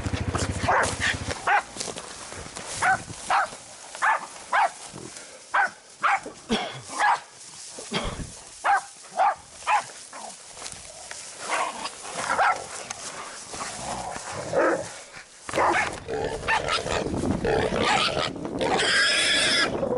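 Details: Jack Russell Terrier on a boar hunt giving sharp, short barks at irregular intervals, some rapid bursts, with rustling, scuffling and a low engine-like hum late in the recording.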